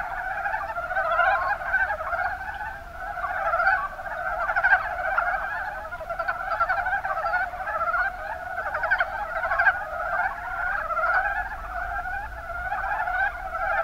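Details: Mountain brown frogs in the Kuma Basin, Kumamoto, Japan, calling as a dense chorus: many overlapping short, rattling croaks run together into a continuous pulsing murmur that swells and fades every few seconds.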